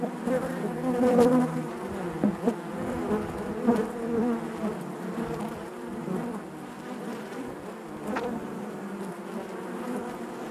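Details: Honey bee colony buzzing in the hive, a wavering low drone that surges louder in the first seconds and then settles, with a sharp nearby buzz near the end.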